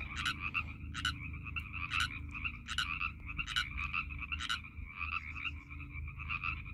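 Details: On March 11, 2021, Northern Pacific tree frogs chorus in a pond at Iona Beach Regional Park near YVR, with overlapping two-part ribbit calls and a steady trilling hum beneath.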